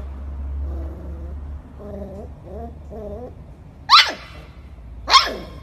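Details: Golden Retriever from a compilation of the breed's cute moments: two sharp, loud barks about a second apart near the end, preceded by soft voiced sounds and a low steady hum indoors.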